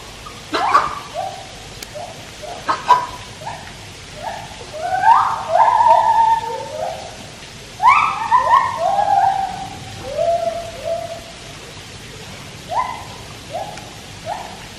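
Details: Song of white-handed gibbons kept at Taipei Zoo, where a Malayan tapir swims nearby: a few sharp clicks open, then a dense burst of upswept whooping notes, layered and overlapping, before the phrase thins out into scattered single hoots.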